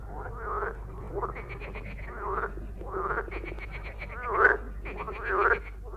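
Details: A common water (marsh) frog, among Bulgaria's most widespread amphibians, gives rattling, chuckling croaks about once a second, each a quick burst of pulses, over a low steady hum; males call using resonator sacs on both sides of the head.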